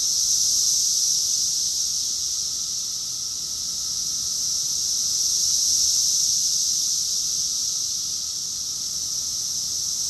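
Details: Massed cicada song, Rockville, Maryland, USA, June 2021 in summer, heard as a constant bright electric-sounding whine with only gentle shifts in loudness, one mild swell near the middle, no birds or people audible.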